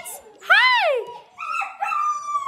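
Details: Sled, one of seven Gerberian Shepsky puppies, is curious about a new tunnel. He gives one clear arched whine that rises and then falls, followed by a longer flatter whining tone. Soft human voices can be heard underneath.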